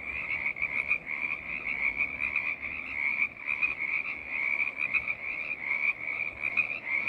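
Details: A chorus of frogs calls nonstop, the massed croaks blending into a high, pulsing wall of sound with faint lower undertones and small rhythmic surges.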